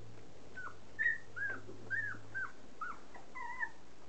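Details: Standard poodle puppies, three and a half weeks old, trying their first meal of soaked puppy kibble indoors; thin high-pitched whimpers and squeaks repeat about twice a second, some bending down at the end, over a quiet room background.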